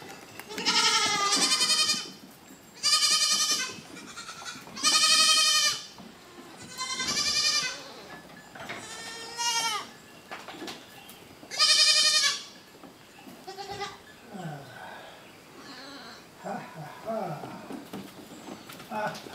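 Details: Goats during banding of adult goats and kids, giving loud harmonic bleats about every two seconds, each lasting around a second, fading into quieter wavering calls and rustling toward the end.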